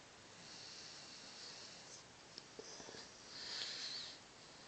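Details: Snoring from Jesse, a pet Cocker Spaniel mix sleeping on his sofa: steady airy breaths, a few small clicks and sniffs in the middle, then a louder wheezy, rattling inhale near the end.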